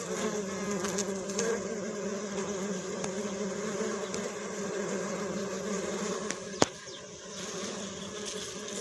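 A dense swarm of bees makes a continuous, even drone with a low hum and rich overtones. The buzz holds steady throughout, broken only by a brief sharp click near the end.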